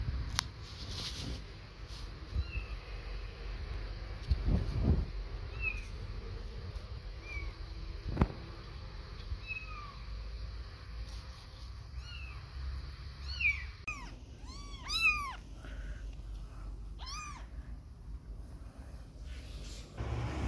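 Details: Little kittens away from their mother for the first time, playing and walking while she grooms: soft scattered high meows, then a run of loud arched, rising-then-falling meows in quick succession over low rumbling background.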